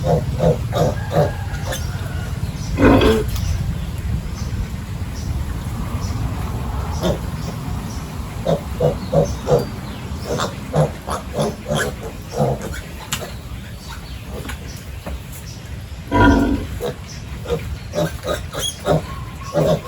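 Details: Pigs on a village farm during morning feeding and pen cleaning; low grunts repeat through the clip, with two louder squeal-like bursts, over a steady low engine hum and clattering.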